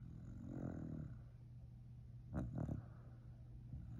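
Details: Sleeping Shiba Inu snoring at home: low rumbling breaths with a soft buzzy inhale early on, then a brief louder snort about halfway through, over a steady faint hum.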